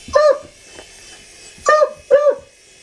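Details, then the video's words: Pet dog barking inside a room: one sharp bark, a pause, then two quick barks close together, loud and clean against a faint steady hum. "Dog Barks 4 Helicopter"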